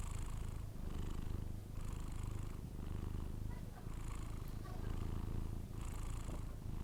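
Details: A sleeping Persian cat snoring: a soft, low rumbling breath sound that swells and fades in steady cycles about once a second. It continues evenly through the whole stretch with no other clear sounds.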